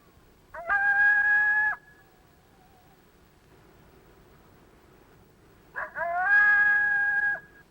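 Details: A lone coyote gives a lone howl: two flat, steady howls, each opening with a brief rising yip. It means "hello, who's out there" and draws responses from nearby coyotes.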